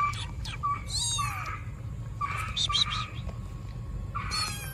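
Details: An abandoned baby black kitten left in a trash box on the street gives loud, high-pitched meows, repeated in bursts over steady low street rumble.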